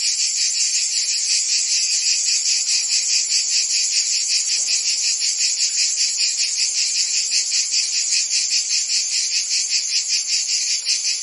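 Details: High, sharp cricket-like chirps repeat in a fast steady pulse within a thick insect chorus, with one brief soft low thump midway, meant as soothing night-time background sound.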